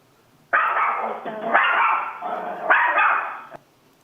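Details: Chihuahua barking, played as a breed quiz for an audience; three drawn-out, high, harsh yapping barks run almost together over about three seconds.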